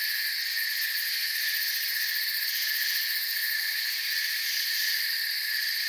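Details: Forest crickets forming a continuous trilling wall of sound, many insects chirping together in stacked high bands, even and unbroken for the whole stretch, with slight wavering in the upper layers.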